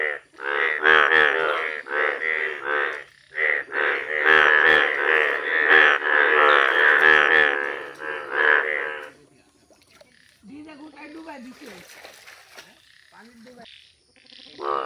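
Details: Chorus of yellow Indian bullfrogs in a village: about nine seconds of rapid, overlapping, nasal croaks, then a much quieter spell with faint buzzing and scattered sounds, and a final croak at the close.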